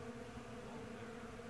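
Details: Thousands of Western honey bees flying around a blooming Bradford pear tree in springtime in the Missouri Ozarks make a steady, low droning hum from many beating wings.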